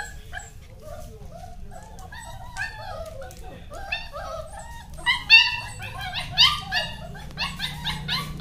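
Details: German Shepherd dog giving short, harmonic yelping barks and whines that cluster and grow louder in the second half, with people talking in the background.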